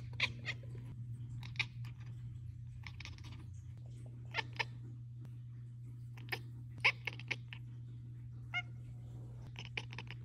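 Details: Cats chattering and chirping, filmed for a weekly roundup of short videos of pet cats. Short clicky bursts of rapid staccato chirps come in clusters about every second, over a steady low hum.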